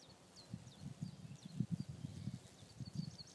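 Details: Thousands of May bugs (cockchafers) emerging over fields in a frenzy of copulation give a low, droning flight buzz, swelling and fading as beetles pass.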